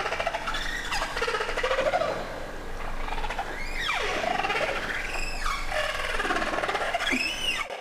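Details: Humpback whale contact calls, used to announce its presence like saying "I'm here", off the coast of Alaska in 2023: sweeping tonal moans and whoops that slide steeply up and down.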